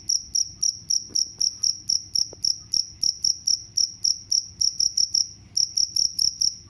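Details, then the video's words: Cricket chirping, played as a sound meant to repel mice: short high-pitched pulsed chirps repeated about three times a second in a steady train, with one brief pause near the end, over faint low background rumble. "The sound of crickets can repel mice"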